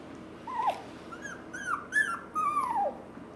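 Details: Wire Fox Terrier siblings at a pet shop in Nara, Japan, giving soft, thin whines; about five drawn-out cries, some sliding downward, spaced roughly half a second apart against a quiet indoor background.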